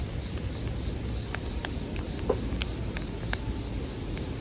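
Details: Continuous high-pitched ringing of bell crickets runs without a break while a wood fire snaps and crackles, with a few louder pops and a dull low background hum.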